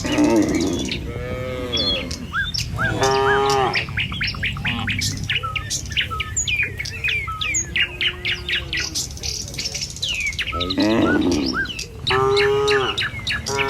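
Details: Tame cattle moving in a line along a village road toward the pen in the morning; a few wavering moos at the start and near the end, while birds chirp and twitter densely in between.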